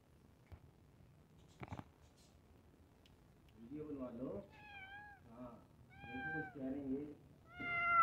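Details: Domestic cat waiting for food at iftar, giving several short tonal meows in the second half, with lower murmuring voices and a couple of clicks beforehand.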